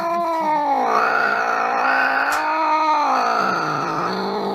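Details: A domestic cat gives a long, loud, drawn-out yowl with rich harmonics, rising and falling in slow waves across more than four seconds, steady and unbroken.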